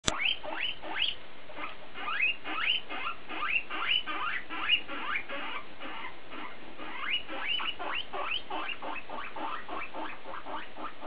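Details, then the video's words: Guinea pig exchange, mostly BooBoo talking: rapid series of short rising squeaky sweeps, roughly two or three per second, bunched in bursts with brief pauses, steady low room hum beneath. "Cavia porcellus tête à tête"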